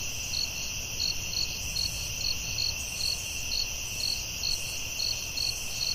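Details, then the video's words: Crickets calling at night in the forest, a high pulsed chirp about twice a second riding on a continuous shrill ringing, with a low rumble underneath. "Soothing Cricket🦗 Sounds at Night"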